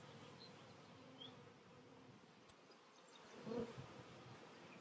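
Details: Buzzing honey bees around a hive where a new queen sits caged during re-queening after a split; a soft, steady hum with a brief louder pass of a single bee near the end and a faint click.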